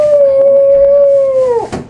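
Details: A toy poodle "sings" in reply to a person meowing at it, holding a long, steady, tuneful howl that sags slightly in pitch before stopping.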